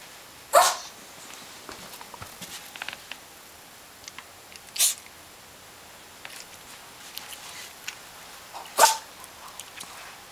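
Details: Hana, a pet Pomeranian, sneezing repeatedly: three sharp explosive bursts about four seconds apart, with small snuffling and sniffing noises between them.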